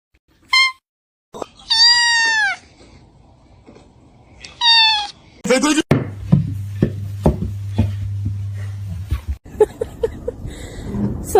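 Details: Cat mewing several times: a brief chirp, a longer falling meow and a quick stuttered call, followed by voices, clatter and room noise.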